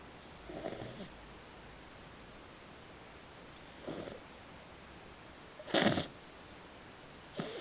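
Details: Maddie, a small French Bulldog, snores normally in loud, rasping bursts roughly every two seconds while asleep.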